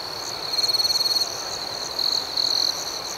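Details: Crickets chirping at night: a steady high-pitched ringing chorus with two louder pulsed chirp bursts, one lasting about half a second and another near the end, over a faint hiss.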